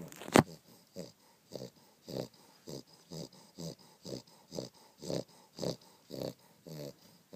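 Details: Sleeping on a down duvet, a dog snores in a quick steady rhythm, about thirteen short wheezy, nasal snorts in seven seconds, after a sharp rustle at the start.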